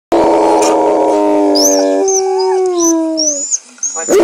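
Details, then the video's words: A 1-year-old male Alaskan Malamute, howling at dogs on a show on screen, gives a loud, drawn-out howl that slides and wavers, with rich vocal overtones. "Alaskan Malamute Nanook howling at dog on tv! Very loud & f"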